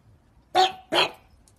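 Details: A pug gives two sharp, harsh barks about a third of a second apart. Each bark is short and noisy with strong upper tones, and silence follows.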